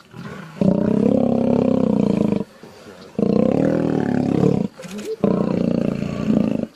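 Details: Lion giving three long, heavy roars of nearly two seconds each, separated by quieter pauses with faint rustling.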